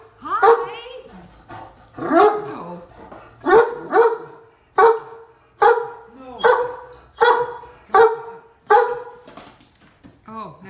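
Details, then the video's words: Talkative deaf Great Dane complaining about being stuck on a golf cart, unwilling to back up or jump off: regular moaning woo-woo vocalizations roughly every 0.8 seconds, harmonic and bending downward, a person speaking faintly. "Talkative Deaf Great Dane Gets Stuck on the Golf Cart"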